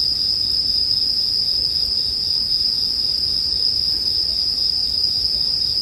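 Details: Bell crickets keep up a dense, even high-pitched ringing throughout, layered over a quiet low rumble, paired with bonfire sound as background music for sleeping.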